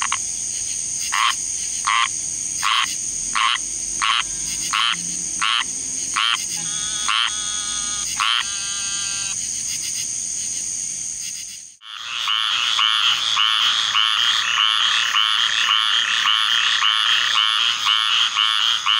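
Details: A squirrel treefrog gives raspy, nasal calls over and over, then a dense chorus of frogs joins in; summer thunderstorms set them calling in large choruses.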